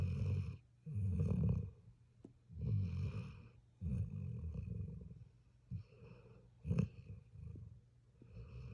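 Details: Puppy snores while asleep, giving rough, low rattling inhalations at uneven intervals, a few loud bursts early and softer, shorter snuffles toward the end.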